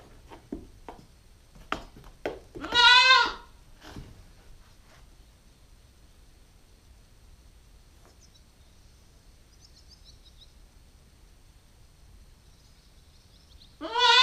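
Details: A female Nubian goat kid, 9 weeks old, lets out one clear wavering bleat early on amid knocking and rustling, then quiet with faint high squeaks, and the start of another bleat at the end.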